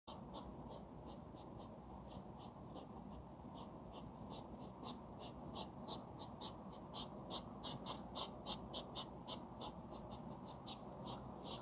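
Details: Hedgehogs in a mating ritual caught on camera in the middle of the night: fast rhythmic huffing pulses, about three each second, steady and unbroken over a low background hiss.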